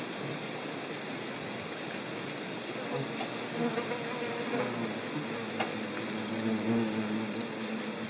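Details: Ivy bee buzzing in the countryside of central France, Nouvelle Aquitaine, on 17 September 2018, while gathering pollen and nectar for larvae in a ground burrow; a steady low hum with soft rising and falling swells over faint background hiss.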